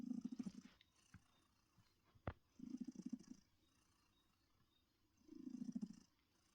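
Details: Heartie the cat, a rescued female about eight years old, purrs contentedly in her chair; three low, vibrating rumbles arrive roughly two and a half seconds apart, with a sharp click near the middle.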